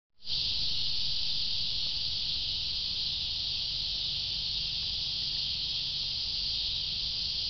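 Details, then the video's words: Cicadas: a steady, high, hissing drone that switches on abruptly after a brief silence, then holds an even, unbroken buzz, with a faint low hum underneath. "Cicadas: part 2"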